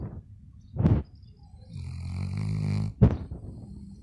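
A Labrador Retriever snores, with a low rumbling breath between two sharp, puffing exhales.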